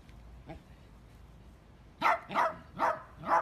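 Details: Miniature dachshund at play, a quiet opening then four quick barks from about two seconds, roughly one every half second, sharp and mid-pitched.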